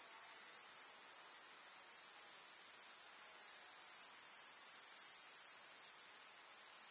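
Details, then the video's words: Meadow grasshoppers chirping on a summer day in the village countryside: a steady, piercing high-pitched insect drone, slightly weaker in the first second and again after about five and a half seconds, otherwise unbroken. "КУЗНЕЧИКИ. Слушать звуки летнего луга"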